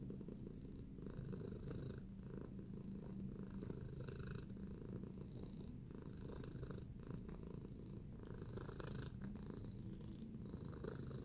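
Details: Relaxed while kneading, the cat Tacy keeps up a soft, continuous rumbling purr; light rustles and taps from its paws break in at intervals.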